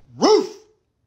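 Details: A pet dog gives a single sharp bark right after its owner barks at it, an angry reaction; one short rising-then-falling yelp lasting about half a second, then silence.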